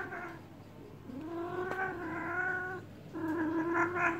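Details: A cat in heat being given a massage lets out sustained, moaning yowls, a long steady wail in the middle flanked by shorter ones, loud and full of overtones, indoors with little other sound.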